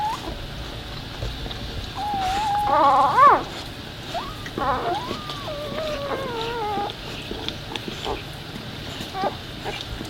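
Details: Newborn Labrador puppy beside its nursing mother during the birth, giving softer drawn-out whines, one brief louder rising-falling squeak, then wavering, slowly descending cries, fading to quiet indoor hum.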